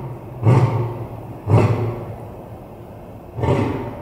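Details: Deep grunting roar bursts from Kalu, a lion at Tulsa Zoo, 3 January 2021, who roars into his den for the echo effect: three heavy, low pulses, two a second apart, then a third after a two-second pause, each trailing off.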